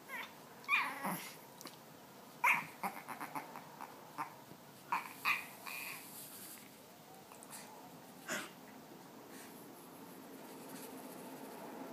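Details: Ding Ding the puppy grunting indoors: short, breathy, broadband snorts come in scattered bursts, a few close together and others seconds apart, with quiet room noise between them.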